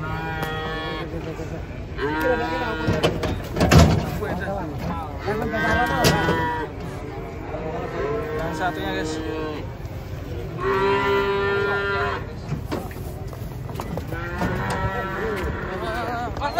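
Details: Banteng cattle being unloaded from a truck: four drawn-out, harmonic moos, each lasting one to two seconds and roughly evenly spaced, with people talking and clanking thuds in between.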